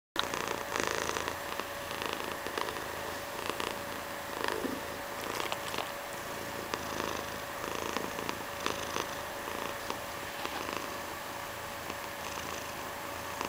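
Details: Mysli, a pet cat, purring steadily as a soft rhythmic rumble, with faint scratchy clicks and rustles from close handling.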